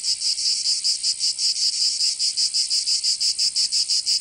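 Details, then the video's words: Cicadas of Provence, southern France, singing in summer: a piercing high buzz broken into quick rhythmic throbs, about three to four a second, with brief blurred stretches between beats. "Canto Cigarra 🦗 [ Escuchar les cigarras en verano"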